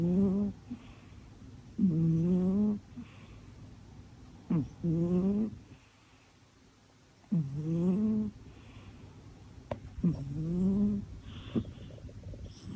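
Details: Female domestic cat snoring in deep sleep, a low, droning breath roughly every two to three seconds. Each lasts about a second and often slides upward in pitch, with soft sniffs between breaths and a quiet room.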